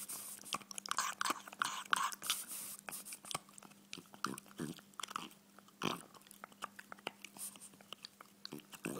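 A French Bulldog chews on a bone with irregular wet crunches and clicks, indoors, with a faint steady hum.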